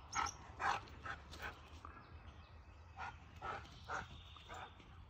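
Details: Eddie the Siberian Husky, outside in Ontario doing laps around a tree after a red squirrel, gives clustered excited yips, several short bursts close together, then a brief lull before more yelps; faint murmuring underneath.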